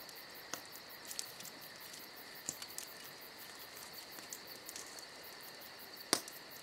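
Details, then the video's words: Crickets on a summer night, a steady high chirping chorus with a continuous trill and a faster pulsed shimmer above it, broken by sharp crackles and pops from a campfire. "Summer Night Crickets & Crackling Fire"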